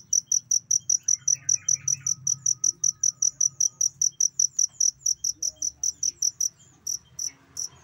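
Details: Cricket recorded as tutor sound for songbirds, giving a fast string of shrill chirps that breaks off after six seconds into a few scattered pulses, with soft bird twitters and a faint whistle.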